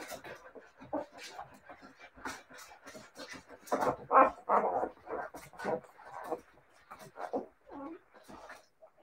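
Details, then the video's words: Several Siberian Husky puppies whining and yelping in quick, uneven bursts, high whimpers rising and falling, loudest in the middle of the stretch, with faint speech mixed in. "siberian husky puppies"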